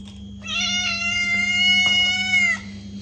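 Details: Cat giving one long, drawn-out meow meant to make a cat react, steady and harmonic with a slight fall at the end, about two seconds long, over a low background hum.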